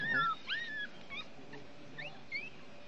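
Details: One-week-old Chihuahua puppies drying in the sun give a few thin, high whistled whimpers, some falling and some rising, spaced apart over a quiet background.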